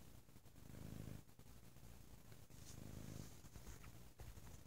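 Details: Very loud purring from Bo the cat on a lazy Sunday: a low, continuous throaty rumble, rising in two fuller breathing swells with softer stretches between, set against faint household rustles.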